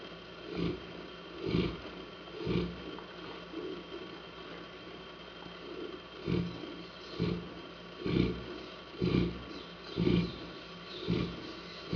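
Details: Saint Bernard Hanna snoring steadily, about one gravelly breath-snore per second, alternating stronger and softer pulses, against a quiet continuous hum.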